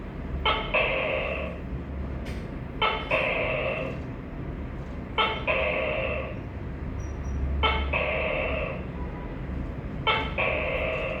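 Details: Five 'to-kay' calls from a tokay gecko, repeating at a steady pace of roughly one every two and a half seconds. Each opens with a clipped bark and stretches into a drawn-out, buzzy tone over a faint low background rumble.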